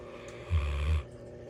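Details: A female Bloodhound gives a single deep, rumbling snore lasting about half a second while Christmas ornaments roll over her face.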